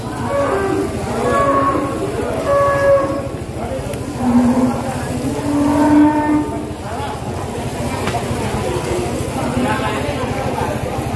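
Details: Limousin cattle at a livestock market before Eid al-Adha, several low drawn-out moos with harmonic bands through the clip, amid crowd chatter, traders talking and a steady engine-like rumble.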